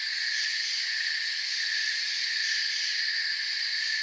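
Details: Unbroken forest cricket chorus: layered high, steady trilling, even in volume, with several shrill bands stacked together and nothing in the low range.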